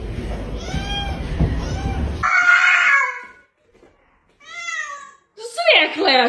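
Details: Cat giving drawn-out, arching harmonic meows in the first two seconds over a noisy, rumbling background, then a bright buzzy burst, a falling meow and a final squeaky cry.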